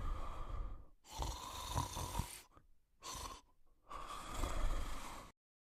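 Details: A sleeping male Cocker Spaniel snores in rough, breathy bursts with short quiet pauses between breaths.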